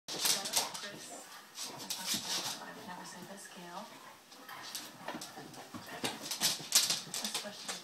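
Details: Two 2-year-old Basset Hounds, one a rescue, play together, giving scattered whines, grumbles and snuffling noises while a person talks in the background.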